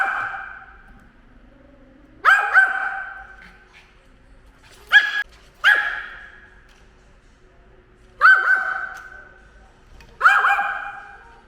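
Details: A 10-year-old pet dog that hates drones barks while attacking one: five loud, sharp barks spaced about two to three seconds apart, with quiet gaps between and no other clear sounds.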